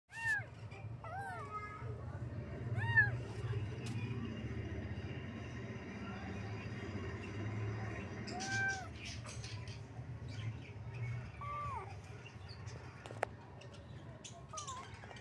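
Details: Kitten meowing in a series of short, arched, high meows, several early on and a few more spaced out later, over a steady low hum.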